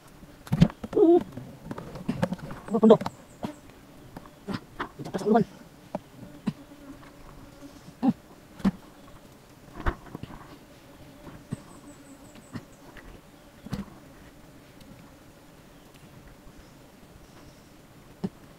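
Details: Honey bees at their hive on the tip of an umbrella tree: a steady, low, droning hum with a fainter overtone runs throughout, while people talk and knock in bursts during the first seconds and occasional clicks follow.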